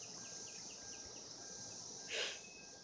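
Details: A constant high whine from cicadas calling for mates in 2016, overlaid by a quick series of soft falling chirps and a sudden loud rustle partway through.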